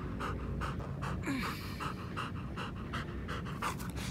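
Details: Panting of Nana, a three-legged German Shepherd out running on a walk: fast, regular breathy huffs about three per second, each a short noisy burst, with low background rumble throughout.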